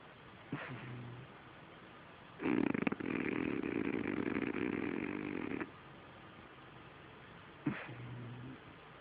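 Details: Sleeping French Bulldog giving one long rasping snore of about three seconds between quiet stretches, with faint short snuffles before and after.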